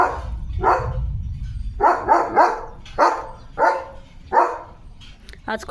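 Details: Bark after bark from Leo the German Shepherd while playing with his owner in the rainy countryside: a mumbled human voice first, then about seven hoarse barks, some in quick pairs, ending with a sharp higher yelp.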